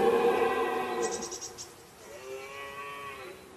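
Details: A red deer stag bellows a long, moaning rutting roar rich in overtones, then a softer, more distant roar, in the Artense massif between Cantal and Corrèze, France, in early October 2009.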